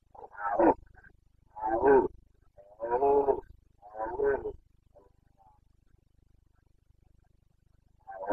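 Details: Red deer stag of the Carpathians, Bucovina, roaring in the rut on 29.09.2022: four rough, throaty bellows in quick succession over four seconds, then a quiet pause before another roar begins.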